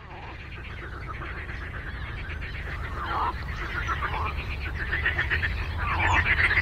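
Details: Frogs in a lakeside chorus, many overlapping pulsed croaks in rapid trains around four per second, rising and falling in bursts, with a steady low rumble beneath.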